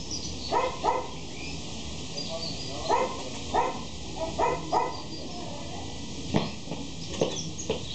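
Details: A male Shih Tzu from Mexico barks in quick doubled yaps, pairs of short high barks separated by pauses of a second or more, followed by a few scattered clicks and knocks over a low hum.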